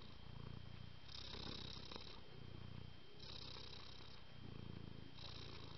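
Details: House cat purring steadily, the deep pulsing rumble rising in roughly one-and-a-half-second cycles that alternate between breathing in and breathing out, recorded at very close range.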